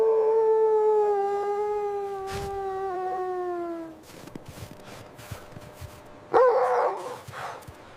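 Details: Dog with puppies playing beside their mother in white winter snow; a long, smooth, tonal howl slowly falling in pitch for four seconds, then quiet rustling and a brief burst of harsher yelping near the end.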